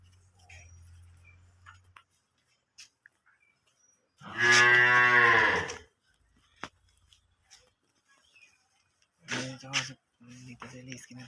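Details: One loud, drawn-out moo from a Holstein Friesian cow sold together with her calf lasts nearly two seconds in a quiet space. Short low-pitched sounds and faint clicks come later.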